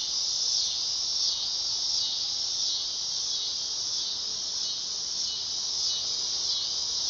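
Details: Dog-day cicada in summer at night, giving a loud, unbroken high whirring buzz with slight pulsing swells throughout.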